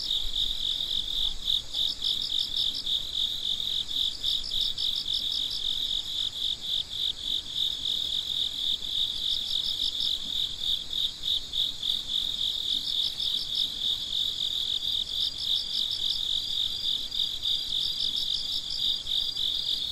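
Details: Midnight chorus of crickets: a steady high trill underneath, with separate bursts of fast, evenly pulsed chirps every few seconds from other callers, no other sounds.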